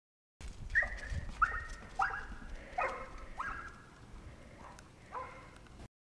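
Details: Brittany Spaniel excited to start running alongside a person on roller blades: a series of high, sharp yelping barks, roughly one every half second, fading and thinning out, over steady outdoor rumble and noise.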